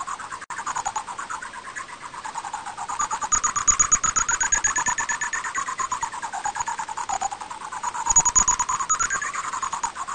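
Greater horseshoe bat calls, brought down into hearing range as a rapid stream of buzzy, wavering pulses.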